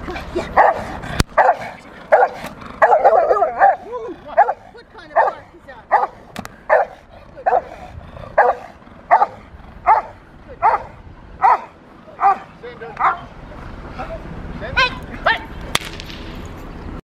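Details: Rottweiler Freya, a female, playing in protection training on March 18, 2021; a steady series of about twenty deep barks, spaced under a second apart, with a few sharp knocks.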